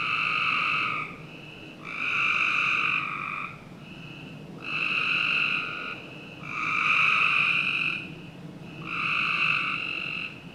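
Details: Summer-night frog chorus from a Northern Virginia home's backyard, with rich buzzy trilled calls lasting about one to two seconds, five main bursts separated by brief lulls where a softer caller continues.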